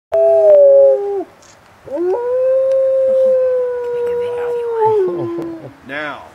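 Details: A captive male timber wolf at a wildlife refuge gives a locational howl to his pack, a long, steady, mournful note sliding down at the end; Gray wolf.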